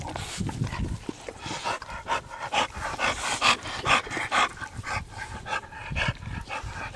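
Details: American Bully dog Zeus, Dax's son, bred by a small bully project, breathes in fast, breathy panting bursts about twice per second, with a man's coaxing voice and faint music behind.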